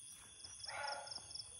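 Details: A barking deer (muntjac) in Lawachara forest, Sreemangal, Bangladesh, gives a single short, harsh bark, the animal heard but unseen, over a steady background of shrilling insects.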